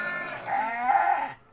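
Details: Night-time bleat from a goat in a pen: a sustained, quavering nasal cry lasting over a second, steady in pitch with a slight rise and fall, then stopping abruptly.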